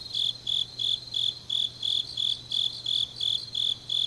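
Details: Grass insects calling late on an autumn night in Changnyeong, South Korea, giving sharp, ringing high chirps in a regular pulse of about three each second, backed by a quieter shimmering chorus and a faint low hum.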